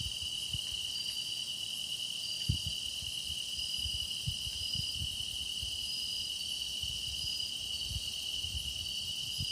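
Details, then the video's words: Grass insects singing in a meditation recording: a steady, continuous high trill with a bright band and fainter shimmering layers above. Soft low thumps occur now and then underneath. "깊어가는 풀벌레 노랫소리"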